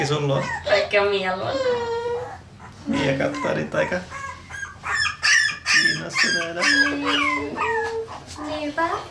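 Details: Parson Russell Terrier puppies indoors in Tampere, Finland, recorded on a Sony FDR-AX100: overlapping high whimpers and squeals, some drawn out and wavering, others short sharp yelps coming in quick bursts, several pups calling at once.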